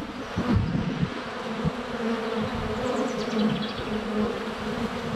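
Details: Close recording at a honey bee hive entrance during sunny February weather, GoPro Hero 7 Black under a foot away: continuous swarming hum rising and falling as individual bees pass, with brief faint high chirps of birdsong midway.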